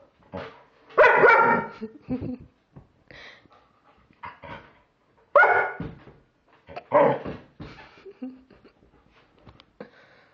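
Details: German Shepherd reacting to a Halloween pumpkin, disliking it: a series of harsh barks and yips in bursts, loudest near the start and middle, with quieter whines between.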